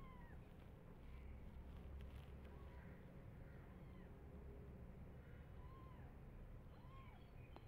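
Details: Tiny foster kittens, hungry for bottle milk, attacking and biting their foster carer while waiting to feed. A few faint, arching meows come through a steady low rumble of background noise.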